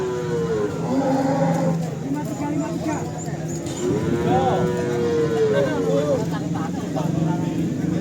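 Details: Simmental cattle called pure Australian stock, at the Kerek cattle market in Tuban, East Java, give two wavering moos, one short and one longer and bending, over a steady background of crowd chatter and market bustle.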